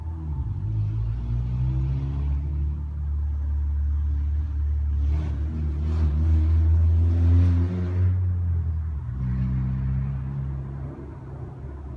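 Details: Loud, low rumbling vehicle engine revs steadily outdoors, with no dog or other animal sound audible.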